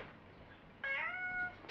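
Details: A single clear, steady meow from the pet cat Me lasts under a second after a quiet start, in a home where its calls are read as requests or protests.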